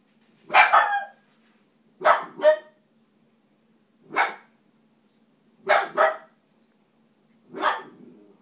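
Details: Dachshund puppy barking on seeing a cat, sharp loud barks often in quick doubled pairs, five bursts spaced about one and a half to two seconds apart, with a faint steady low hum beneath.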